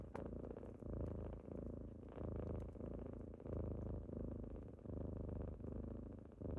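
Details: Kittens purring as they wake their owner on a typical morning indoors: a steady low rumbling purr in pulses of about 1.3 seconds, each inhale-exhale cycle separated by brief dips, with faint small clicks above.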